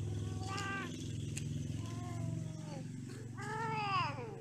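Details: Domestic cats during mating and quarrelling: several drawn-out, wavering yowls, the last one long, rising then sliding down, over a steady low engine-like rumble.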